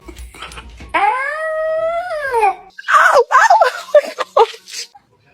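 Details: A dog yawning aloud: a drawn-out, tonal whine that rises slightly, holds, then slides down over about a second and a half, followed by a burst of choppy, irregular vocal sounds.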